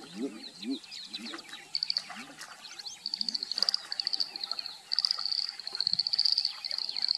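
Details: A few male Edible bullfrogs (Pyxicephalus edulis), calling and chasing one another, give deep, short whooping notes in quick succession over a high, steady insect trill.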